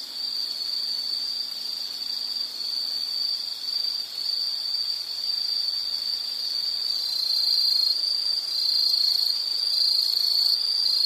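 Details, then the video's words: Insects trilling as a restful background: a high, steady buzzing drone that grows louder toward the end, where a second, higher insect voice joins in over the last few seconds. "Nature Sound of nature sounds scenery L · insect"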